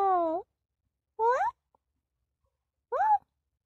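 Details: Kitten giving three clear meows about a second apart, the first long and sliding downward, the next two short and rising, separated by silence in a quiet indoor room.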